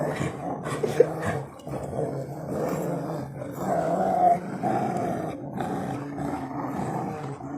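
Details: Several Rottweilers growl steadily while ripping apart a tyre in a hobby garden, a low rough rumble throughout, with brief sharp noises and a man talking nearby.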